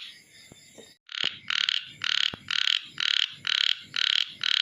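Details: Chubby frog giving its call after a quiet start with faint clicks: eight loud, rasping, buzzy pulses in a fairly even series, roughly two per second, over a soft low rumble.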